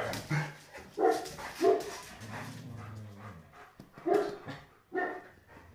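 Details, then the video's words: Playful Kuvasz growling and barking, wanting to play and running away; low sustained growl between short harsh barks repeated irregularly, roughly every second. "Kuvasz May Wants To Play Growling And Running Away"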